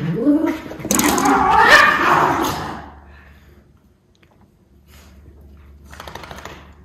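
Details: Two Miniature Schnauzer brothers in an energetic play outburst, recorded indoors on Oct 5, 2021: a rough burst of harsh growly barking and whining in the first three seconds, then near quiet with a faint scuffling rustle near the end.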